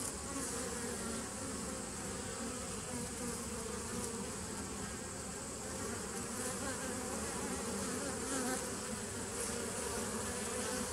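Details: Continuous humming of bees from a 27 September 2018 recording: a thick, unbroken drone with a low fundamental and many stacked overtones, level and unchanging from start to finish.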